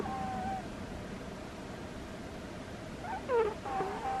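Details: Squeaky snoring from Butters the cat while asleep: a soft high whistle at the start, a pause, then a cluster of sharper squeaks and a trailing whine near the end, indoors and otherwise quiet.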